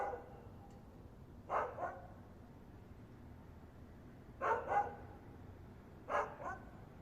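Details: Dog barking unseen: three short double barks, each a quick pair of woofs, separated by a few seconds of quiet low background hum.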